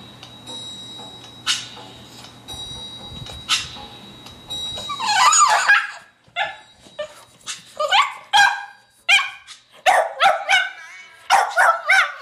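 A Boston Terrier howls along to music in short, wavering, yipping bursts.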